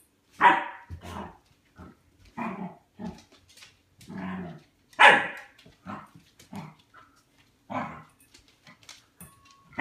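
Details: A dog barks at his food bowl, apparently expecting food to appear: a series of short, uneven barks and yips, roughly one every second, with softer grumbles in between.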